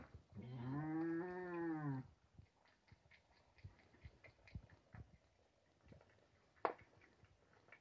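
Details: Farmed nutria, a young but experienced male just placed with eleven females, sitting by the food and keeping the others away: one drawn-out, arched moaning call of nearly two seconds, then scattered clicks, rustling and a sharp knock.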